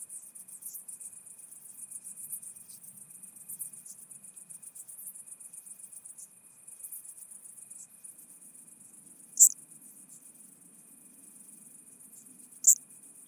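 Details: Chabrier's marbled bush-cricket at Arzo, Switzerland, 4 August 2023, giving two sharp, very high clicks about three seconds apart late in the recording, set against a continuous shrill insect hiss.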